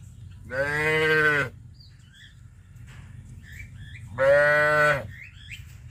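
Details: Tame village cattle walking to green grazing pasture in the morning: two long, drawn-out moos, each about a second, separated by a quiet pause of roughly three seconds, with faint bird chirps in the background.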